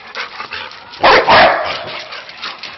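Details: Dog giving two quick, harsh barks in close succession, loud and broad-toned, followed by softer background noise.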